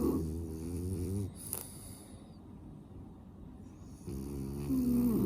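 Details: Sleeping French Bulldog with a snuffly, blocked nose, snoring indoors: a rasping, buzzy snore of about a second, a quieter breathing gap of nearly three seconds, then another drawn-out harsh snore with a faint whistling edge.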